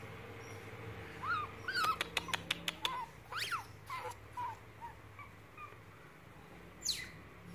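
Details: Rare white-tailed otter, called a ringtail, kept as a pet. It gives short arched squeaky chirps, then a quick run of sharp clicks and a few rising and falling squeals. Light background hiss and a low hum run throughout.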